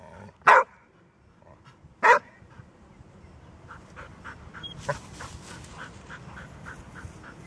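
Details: Golden Retriever, a rarely barking dog: two sharp, loud barks about one and a half seconds apart, followed by steady background noise with faint repeated ticking sounds.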